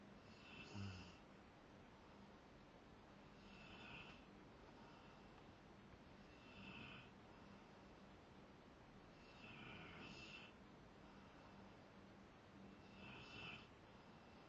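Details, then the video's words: Asleep, the Rottweiler Zakk gives a series of raspy snores about every three seconds, some doubled and snorting, over a faint steady hum. "Zakk the Rottweiler snoring"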